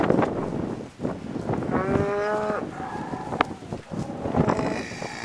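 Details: ['Herd of cows recorded from the back of a pickup truck: a single short moo near the middle, half masked by wind rumble and handling noise.']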